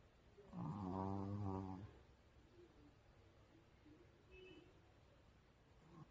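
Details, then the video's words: Dog snoring, described as getting louder: one long, rattling, low snore with buzzy harmonics lasting over a second, followed by quiet breathing and faint room noise. "점점커지는 강아지 코골이"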